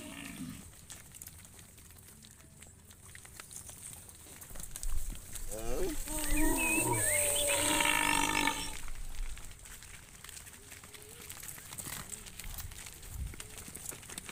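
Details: A cow gives a loud, drawn-out bellowing moo over steady outdoor noise as cows are driven by shepherds toward the farm pen around sunset.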